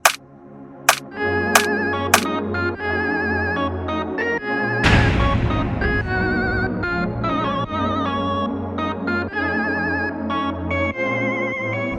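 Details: Organ-like keyboard music with sustained chords, a deep bass line and a few sharp plucked notes near the start; no animal voice is heard.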